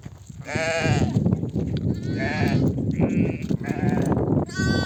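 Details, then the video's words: Ewes returning from grazing with a nomadic flock call their lambs to suckle: a rapid series of overlapping wavering bleats, higher and lower voices, over constant low trampling and flock noise. "The sound of mother sheep returning from the pasture to breastfeed her babies"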